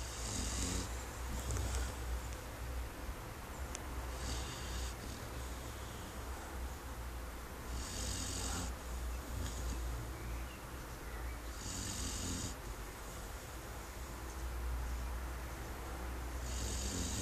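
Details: A brown Labrador puppy, Duke-Emil, six months old and 21 kg, sleeps on a garden chair and snores steadily: raspy, hissing snores about every four seconds, five in all, with soft breathing between.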